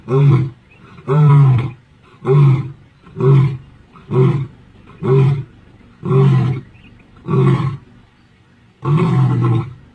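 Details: An old male lion in the Sabi Sands, Kruger area, on 10 October 2023, gives a series of deep, grunting roars, about one every second.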